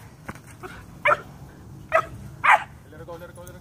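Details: Twelve-week-old German Shepherd puppy at rag work, bite training; three loud, short yapping barks about half a second to a second apart, preceded by quieter voice sounds.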